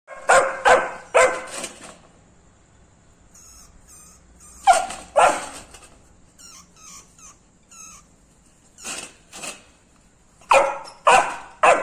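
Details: Labrador Retriever puppy barking in reaction to a rat: two bursts of sharp, bright barks in quick groups of three or four, separated by quieter whines and small yelps, indoors.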